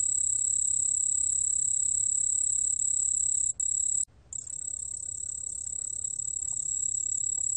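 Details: Song of a white-whiskered bell cricket, 2020 recording from a national biological resources institute: a continuous shrill bell-like tone with two brief dropouts midway, then the high ringing resumes steadily to the end.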